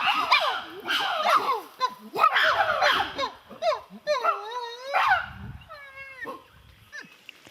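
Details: Wild chimpanzees in Kibale National Park, Uganda, give a loud chorus of overlapping screams and hoots. These are excitement calls that gather the group at a highly favoured food.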